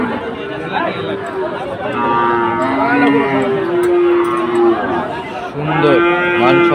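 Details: Sahiwal breed bull at Ambari market, with Chittagong traders buying bulls on Monday 24 July: sustained, tonal lowing with steady and slightly falling pitches, a second moo toward the end, against a crowded background of people talking.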